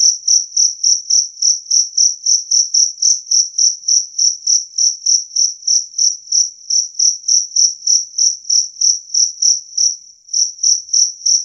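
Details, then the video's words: Jangkrik kalung, or two-spotted cricket, giving clear loud chirps said to scare rats away; a fast series of high trilled pulses at about three and a half per second, one brief gap near the end. "Suara Jangkrik Kalung Jernih"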